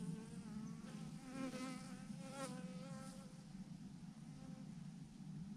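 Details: Honey bees massed by the thousands in a swarm on a branch: a constant deep drone overlaid with wavering, higher whining buzzes of bees circling close, strongest early on.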